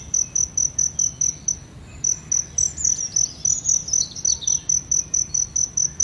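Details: High, piercing cricket pulses repeat quickly and steadily, about three or four per second, close to a blooming aloe vera; a few soft, thin bird notes slip in near the middle.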